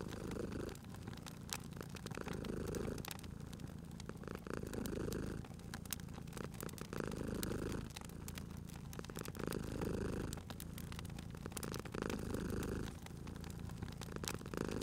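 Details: Cat purring by a crackling fireplace: a deep, steady rumble swelling and fading in slow breaths about every two and a half seconds, with frequent dry crackles and pops from the fire throughout.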